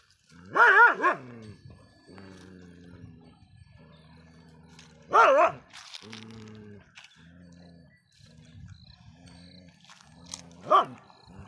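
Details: Shiro the dog barks at other dogs: loud sharp barks in short bursts, a double bark first, then single barks several seconds apart, with lower steady tones between them.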